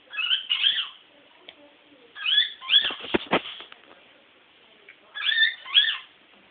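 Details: Female Toy Poodle Sugar in heat, pining for her stud: paired high squealing whines that bend up and down, repeating roughly every two to three seconds, with a few sharp clicks or taps in the middle.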